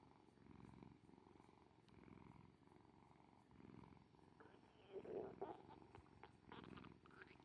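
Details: Kuri, an orange tabby cat, purring in waves that swell and ease about every second, with a brief squeaky sound and faint rustling in the middle.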